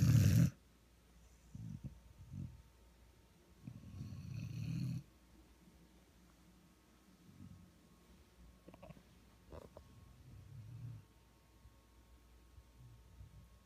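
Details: Sleeping one-year-old Vizsla lap dog, with a second dog resting nearby on a dog bed. A sharp low snort opens, then a longer deep snore a few seconds later, followed by faint, soft breathing rumbles in a quiet room.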